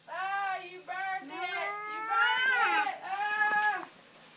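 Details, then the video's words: Angry pet cat, worked up after seeing another cat outside, yowling when touched: four drawn-out, wavering moaning howls with rising and falling pitch, each about half a second to a second long, in a quiet indoor room. "Angry cat makes funny noise when touched"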